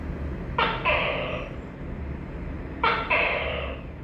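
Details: Tokay gecko calling twice in quick succession, each call a brief clipped syllable followed by a drawn-out, reedy, harmonic note, with steady low background hum.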